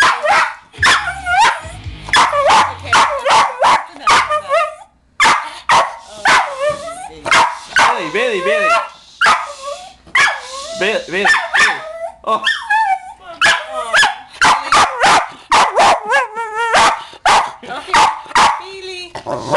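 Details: A pet West Highland White Terrier barks in a frenzy at home when Far's cover of the song "Pony" plays. Sharp, loud barks burst in rapid irregular volleys, mixed with a man's voice trying to calm the dog. Faint music is heard at the start.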